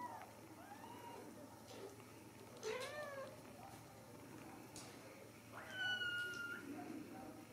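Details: Ragdoll kittens raised in a home cattery in central Kansas, no cages used, giving several short, thin rising-and-falling meows, one longer steady high mew near the end, over a low room hum.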